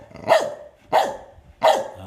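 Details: Medium-sized dog barking on command during training, three sharp barks about two-thirds of a second apart, each a short burst with a bright downward-sweeping tone; quiet background.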